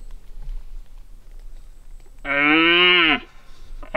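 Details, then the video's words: Red deer stag roaring during the rut while hunters stalk him; after quiet background, a single loud, deep, harmonic-rich bellow of about one second, with the start of another at the end. "The moment that I stepped my foot out the car, I've heard some stags roaring"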